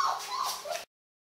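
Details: Lion cubs from a litter about three and a half weeks old: one short, thin, mewing whimper with clear harmonics, wavering up and down for under a second, then silence.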